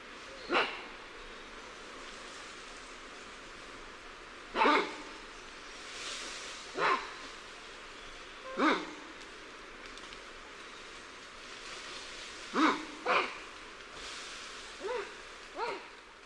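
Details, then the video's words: Lion-tailed and bonnet macaques calling in alarm from differing perspectives: sharp barking cries spaced roughly two seconds apart, some paired in quick doubles, ending with two softer, higher yelps over a steady hiss. "Alarm Calls Of Liontail & Bonnet Macaques At Varying Perspectives"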